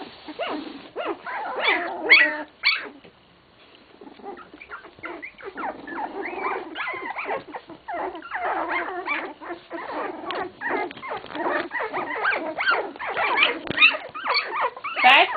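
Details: Sixteen-day-old English Cocker Spaniel pups squeaking and whimpering together, a dense, restless chatter of thin cries that dips briefly quiet early on, then builds back to steady overlapping yelps.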